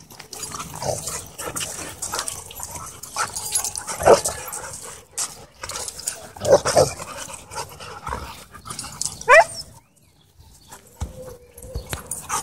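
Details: Dogs at a dog park during play, with a few short, sharp rising yelps and whines spaced several seconds apart over a noisy outdoor background.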